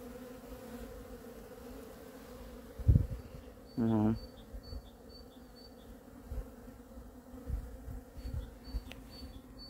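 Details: Honey bees flying in spring sunshine on 13 February 2023 make a steady low droning hum with a higher overtone. A brief tonal burst about four seconds in, scattered clicks and faint high chirps sit over the drone.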